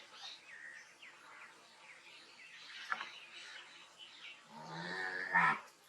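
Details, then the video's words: Near the end, a cow lets out a brief, rising moo with a bright harmonic tone. Before it come several seconds of scattered high chirps and a soft rustling background. "amazing cow animal voice | cow making loud sound"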